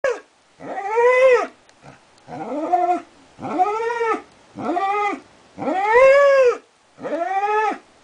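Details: Darwin, a border collie, howling for a long time indoors: a series of arched, harmonic-rich howls about a second long, each rising then falling, separated by short pauses.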